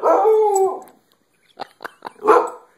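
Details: Pet dog imitating human speech, a loud wavering moan lasting under a second, then a pause and a few short soft yelps and a final brief whine-like bark.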